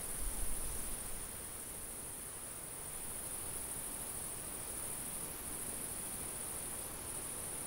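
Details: High, steady chirring of crickets in a summer field runs without pause, briefly dipping midway; a soft wind bump opens the recording and a low airy rush continues beneath.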